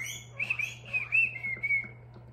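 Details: Pet guinea pig kept at home calling loudly from the background: a thin, high whistled squeal that wavers and slides in a series of short rises, then holds a steady tone before fading, over a constant low electrical hum.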